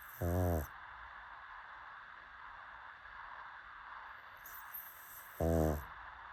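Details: Snores from a sleeping pug, two short, deep, fluttering rasps about five seconds apart, separated by quiet indoor background.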